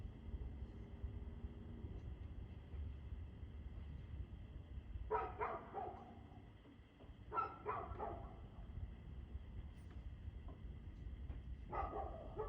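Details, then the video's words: A barking dog, recorded 2/6/2024 at 6:02 pm. Bursts of two or three barks arrive at intervals of several seconds against a persistent low-frequency drone, possibly traffic. "Barking Dog"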